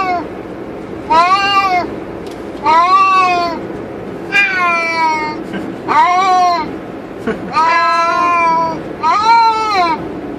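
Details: Two cats caged in a moving car on the highway cry with six long, wavering meows, some nearly a second long and bending in pitch, backed by steady road noise.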